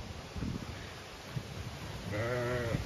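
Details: Zwartbles ewes on a regenerative farm in County Kilkenny, Ireland, being moved to another field so the pasture can recover: rustling and footsteps, then one short, wavering, nasal bleat near the end.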